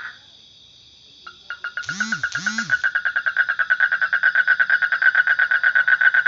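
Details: Frog starting with a few separated clicks that quicken into a rapid, regular pulsed trill; two short swooping arched sounds briefly overlap early on.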